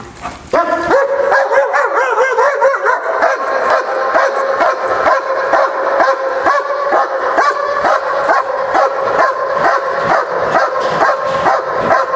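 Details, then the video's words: Dog doing a bark and hold: loud, steady series of harmonic, slightly yelping barks, roughly two per second, continuing without pause for the whole stretch, with nothing else clearly heard. "bark & hold"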